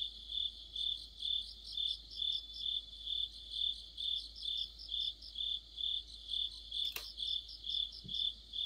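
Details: Crickets and insect companions chorusing on an autumn night by a streetlight, regular high chirps near twice per second over a fainter overlapping trill, broken by a brief sharp click near the end.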